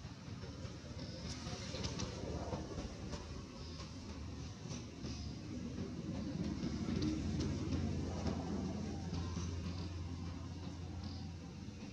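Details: A steady low rumble like a passing train or vehicle dominates throughout, with scattered faint clicks above it. No animal voice stands out.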